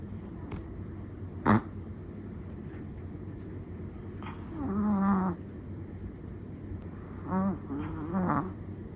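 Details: A dozing Chihuahua gives soft snores, one longer rasp midway then two shorter snorts near the end, after a single sharp click early on; quiet room tone throughout.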